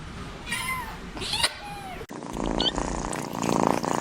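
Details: Kitten mewing in three short, high, thin meows in the first two seconds, each rising then falling with a bright tonal quality, followed by a stretch of rustling, handling noise and muffled background sound.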